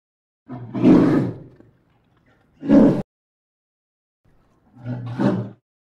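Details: Polar bear (Ursus maritimus), roar.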